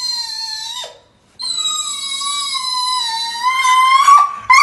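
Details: Petra, a female Dobermann, complains in the bath when people stop massaging her: long, high, tonal whines held near one pitch, with a short gap then a sustained slightly wavering whine, rising at the end, indoors.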